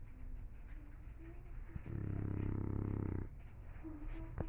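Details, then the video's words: English Bulldog lets out one gravelly, buzzing snore of just over a second, framed by softer nasal breathing and a few faint snuffles. "Bulldog inglés roncando"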